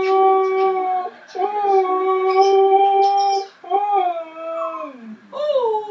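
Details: A Siberian husky "sings" again, howling in long, wavering tones that break into sliding, yodel-like phrases.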